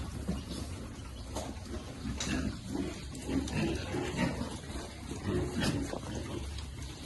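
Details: Piglets being fed give low, short grunts in uneven bursts about every second, with soft background rustling and noise throughout.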